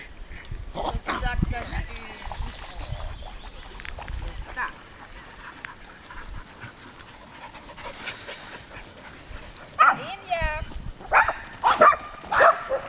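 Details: Summer at Lida Nature Reserve, dogs by the lake: an early yelp, then a run of excited, irregular barks near the end, over people chatting in Swedish and outdoor ambience.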